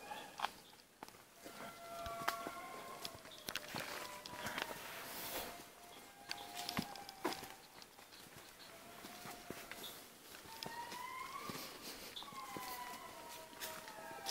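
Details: Indri lemurs at Analamazaotra National Park, Madagascar, giving long, wailing tonal calls that swoop up and down, with footsteps crunching nearby.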